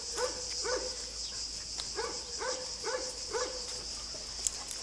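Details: Three-month-old Weimaraner puppies walking with grown-up dogs on a sunny day, giving a quick series of short arched yelps, about two per second, with a constant high-pitched buzzing hiss behind them.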